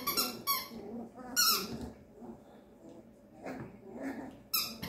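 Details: Quiet indoor moments with a 13-day-old Papillon boy puppy: a few sharp, high squeaks at the start, in the middle and near the end, with soft, muffled rustling and low sounds between them.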